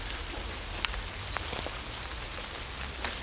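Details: Steady rain patters on a surface with a few sharp drips and clicks, and no animal voice is heard.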